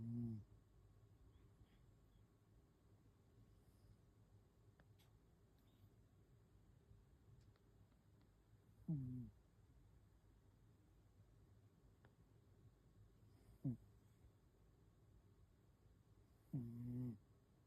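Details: Sleeping domestic cat snoring, said to be its loudest snore yet: four low, rumbling, voiced snorts near the start and at about 9, 13.5 and 16.5 seconds, separated by long quiet stretches in a still indoor room.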